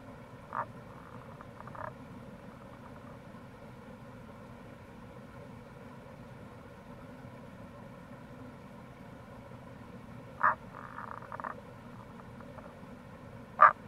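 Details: Tago's brown frog (Rana tagoi) near a gorge on the Kamo River, Itoshima, Fukuoka, Japan, in April: a few short, sharp croaks spaced far apart, some followed by brief, softer pulsed rattles, over a steady low rushing background.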